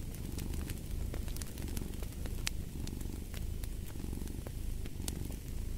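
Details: Cat purring close and loud, a throaty vibrating drone without pause, accompanied by frequent crisp crackles from a burning fireplace.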